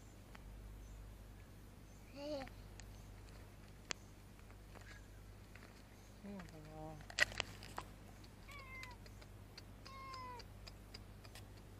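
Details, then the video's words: Female cat with a grumpy face, afraid of human touch, found in a motorbike parking lot and escaping when approached; several short harmonic meows, some rising then falling, spaced through the recording over a low steady hum and faint voices. "Cute Cat With Grumpy Face And Afraid Of Human Touch, Try To Approach Her"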